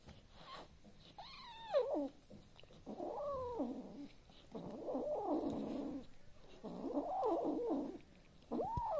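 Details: Young male Devon Rex kitten in his nest with a toy mouse gives drawn-out, wavering growling yowls that rise and fall in repeated bouts; Devon Rex cat (Felis catus), growl.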